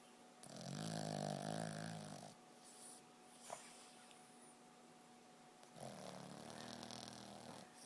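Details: A Boston Terrier sleeping hard and dreaming snores with two long, rumbling, low breaths a few seconds apart.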